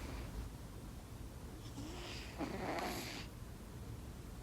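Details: A sleeping kitten purrs in a low, steady rumble, with a breathy, hissing exhale swelling midway before the soft drone settles again.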